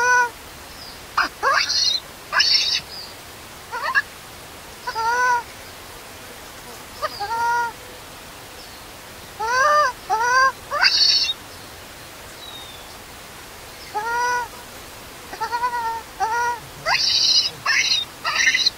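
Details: Hungry baby monkey whose mother has left it alone cries loudly: bending, tonal wails and sudden shrill squeals in irregular bouts, separated by short silences.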